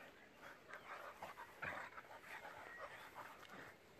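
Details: Playful sounds from six-year-old German boxer Jack and a pitbull baby: continuous panting grumbles and whiny growls, with one louder, harsher burst midway.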